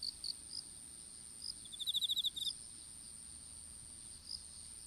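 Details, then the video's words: Insect sounds in a strawberry field during seedling planting: a few scattered high chirps, then one brief rapid trill of about eight pulses, all above a steady thin whine. "虫の鳴き声in いちご畑"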